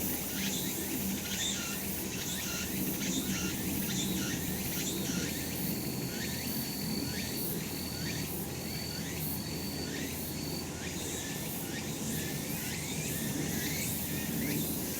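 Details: Sunlit summer mountain full of cicadas, their shrill pulsing buzz repeated roughly once a second in rasping strokes, a sustained high-pitched tone drawn out at intervals, over a constant murmur of low background noise.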